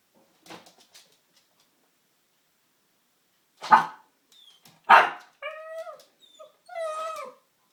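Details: Oscar, an eight-month-old pug puppy, facing off against the Hoover indoors: two sharp barks a second apart, then drawn-out wavering whining yelps with clear tonal bands, on a silent background.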